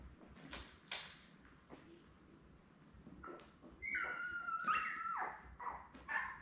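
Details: A litter of seven Labrador Retriever pups, born May 24, 2021, with mother Belle, on a live puppy cam on June 3. A few short squeaks lead into a long, clear, steady whine near the end, then brief yelps.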